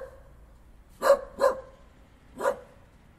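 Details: Dog barking: two quick sharp barks close together, then a third about a second later, short and mid-pitched over quiet background.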